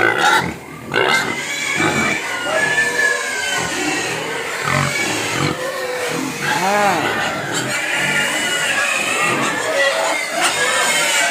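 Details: Hungry pigs crying and begging for food, a dense chorus of high, wavering squeals overlapping with a person speaking to calm them.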